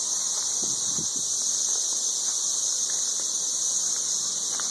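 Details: Steady, intensely loud buzzing of many 13-year periodical cicadas in Nashville, Tennessee, a high continuous whine without rhythm, with faint brief knocks and rustles beneath.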